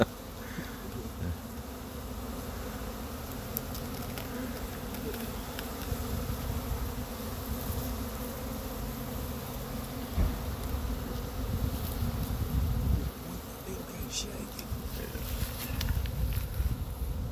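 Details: Honey bee swarm in Chattanooga being brushed slowly off a pine tree into a box with frames by beekeepers; a steady low droning hum fills the whole stretch, with faint rustling and handling noises.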